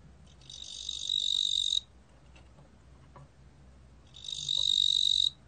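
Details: Korean ttungbo-gwitturami cricket from a 2020 national biological resources collection, giving two shrill, rasping trills of about one and a half seconds, separated by a pause of over two seconds with a faint low background hum.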